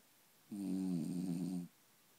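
A French bulldog gives a single low, rough, rattling snore lasting just over a second, with a quiet room before and after.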